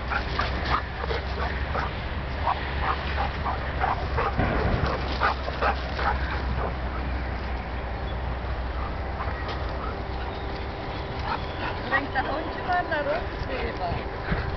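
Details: Frodo, a dog working on a Whisper training ground, gives repeated short barks and yips, about two or three a second and irregular, mixed with brief whines, over a steady low background hum and occasional human voices.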